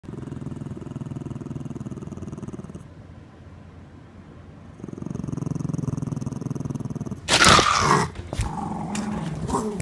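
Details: Dog attacking, with a low, continuous rumbling growl that pauses briefly and resumes, then a loud burst of harsh noise and scuffling near the end.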